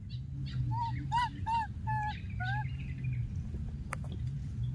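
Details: Wild baby monkey calling after losing its playmate: a run of about five clear, whistle-like cries, some arching and one rising, spaced under half a second apart, with a faint click and a constant low rumble behind.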